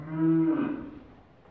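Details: A breeding heifer from a farm in Kars, Turkey, gives one short, low, steady moo that swells and then fades within about a second, with a man speaking briefly afterwards.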